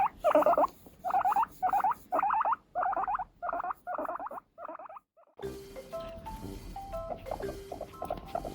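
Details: Seven-year-old pet female guinea pig, losing fur while ill with an ovarian tumour, calling while being brushed with a natural-bristle brush and asking for more: wavering, mid-pitched squeaky calls repeated about twice a second for five seconds, then music.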